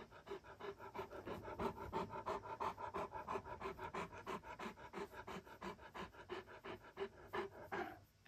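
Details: Great Pyrenees, a male named Alain, curious about a mysterious white dog in Mother's room that is really his own reflection in a mirror; steady rhythmic panting, about three breaths per second, continuous throughout.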